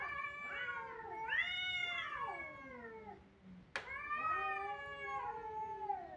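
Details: Kittens crying with overlapping, bending meows that rise and fall; a sharp click cuts in midway before more plaintive cries follow.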